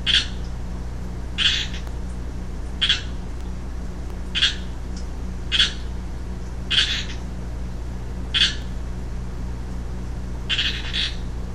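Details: A young male Pacific chorus frog, or western chorus frog, gives sharp buzzy ribbit-like calls at irregular intervals of one to two seconds, eight in all, above a constant low hum; recorded 15 March 2012.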